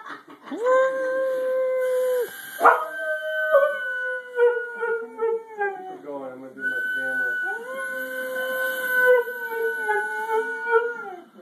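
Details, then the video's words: Household dog gives long sustained howls, steady then sagging in pitch, broken by a sharp yelp-like break and wobbling whimpery notes midway before another level howl; a person's voice faintly in the background. "My dog howls like a derp"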